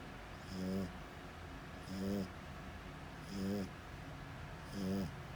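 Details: Four evenly spaced snores from a sleeping French Bulldog, each a loud throaty rasp lasting under half a second, arriving about every one and a half seconds over a quiet hum.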